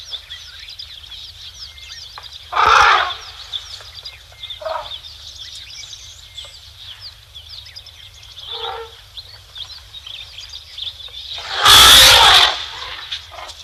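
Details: Elephants at Tembe Elephant Park give two loud, brassy trumpeting blasts of excitement at 12:45 PM SAST on 3 October 2025, over a steady chorus of birds and insects.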